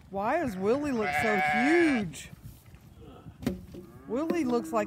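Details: Sheep at hay feeding time, with a hungry young ram lamb among the flock; several wavering, rising-and-falling bleats, one long quavering call, then more bleats, over people talking and laughing nearby.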